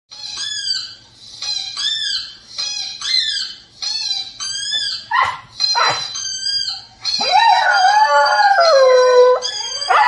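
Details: A 4-month-old male Siberian Husky puppy answers a dog howling on TV with quick rising-and-falling yips, then one long, falling howl.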